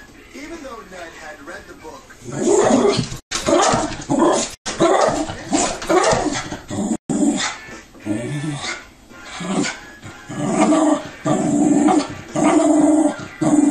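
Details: Dog watching television and reacting with agitated vocalising: low growls giving way to strained whining barks in repeated bursts about once a second, with some speech and music underneath.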